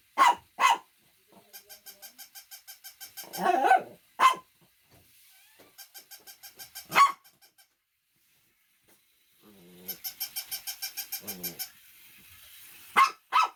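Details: Loud, scattered barks from a Shih Tzu, separated by long trains of even, rapid ticking pulses and a brief rougher, growly burst near the start.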